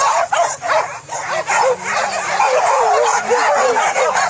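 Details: Trained hunting dogs on a wild boar hunt in fields at Solok, West Sumatra, Indonesia; a dense pack chorus of rapid, overlapping high yelping barks and yips, with broadband rustling and noise throughout.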